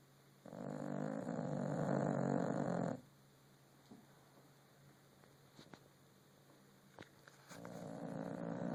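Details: A rescue French Bulldog sleeping and snoring: a long, loud, rasping snore in the first three seconds, a quiet stretch with faint breathing and small clicks, then another snore beginning near the end.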